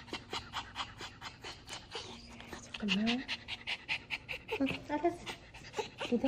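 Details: Dubu, a ten-year-old Maltese recovering from right cruciate ligament surgery, pants steadily in a small room while his ears are checked. Rapid, even breathy puffs continue throughout, with a woman's speech breaking in twice.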